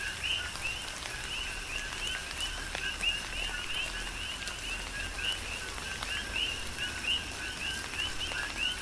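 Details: Coqui frogs chorusing in the rain on Hawaii's Big Island: two-part calls of a flat low note and a climbing whistle, many frogs overlapping in a continuous rhythm, with rain noise and occasional drop clicks.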